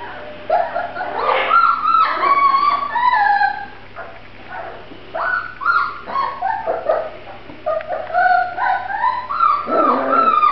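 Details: Several Grand Basset Griffon Vendéen puppies of the Viersenhoeve kennel whining loudly, drawn-out high squeals that slide up and down in quick runs, with a short pause midway before the cries resume.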